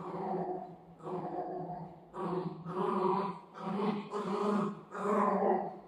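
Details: Golden retriever playing with its owner, giving a run of about five drawn-out, throaty, growly vocal bursts, each under a second long, separated by brief pauses, with a steady harmonic tone through each burst.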